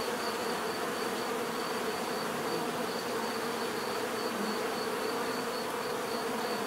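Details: Continuous buzzing of many bees in nature, an unbroken humming drone layered with overlapping wingbeat tones, with a thin high-pitched steady tone faintly present across the whole stretch.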